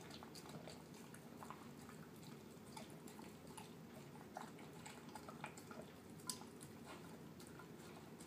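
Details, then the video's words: Terrier mix pet dog eating its dinner of canned food mixed with kibble indoors: soft, wet, mushy chewing and smacking clicks in an irregular, steady run, with a faint room hiss beneath. "Dog eating yummy food"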